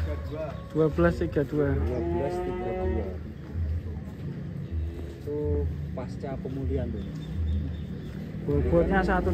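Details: A drawn-out, deep, harmonic mooing lasting about two and a half seconds comes from the huge Indonesian contest cow Ken Arok Bimasakti, with a low engine-like hum beneath and people chattering afterward.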